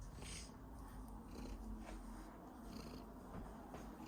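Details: House cat purring and coughing: a dense, rough low purr fills the recording, with breathy wheezing pulses recurring roughly every second.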